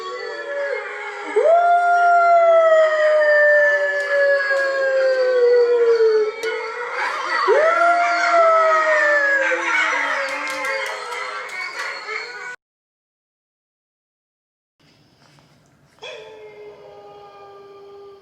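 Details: Female Mame Shiba puppy, born January 2020 in Kagawa, Japan, howling in reaction to wolf howls: long drawn-out tones sliding slowly downward, a second howl following after a short pause, then a quieter stretch with a brief sharp sound.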